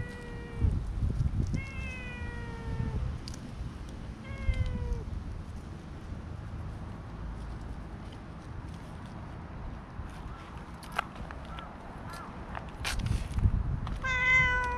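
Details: Stray cat petted on a promenade as more cats arrive, filmed with a GoPro HERO7: three falling meows in quick succession over five seconds, a long quiet gap with clicks and rustles, then a final higher meow.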